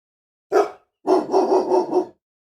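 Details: Agitated dog gives one sharp bark, then a rapid run of four or five rough barks blurring into a continuous harsh volley, with nothing else audible.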